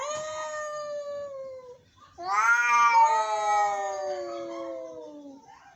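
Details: Angry cats meowing in long, sustained howls, one steady wail followed by a louder, strained cry with a second voice overlapping and sliding downward.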